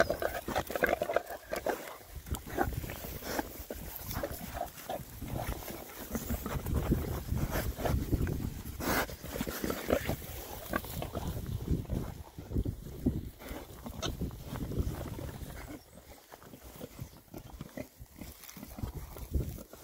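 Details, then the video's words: Happy Oxford Sandy and Black pigs, a rare breed, six boys on a winter forage between storms; dense overlapping oinks and snuffly grunts with rooting and crunching, steady for twenty seconds, easing toward the end. "rare breed Oxford Sandy and Black, happy pigs, winter forage. 6 boys. ASMR oinks."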